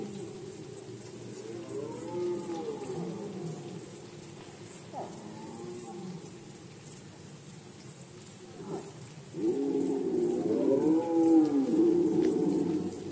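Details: Poland, 2020, red deer rut: wavering, moaning roars rise and fall, a pair of shorter calls first, then a long, loud bellowing bout toward the end.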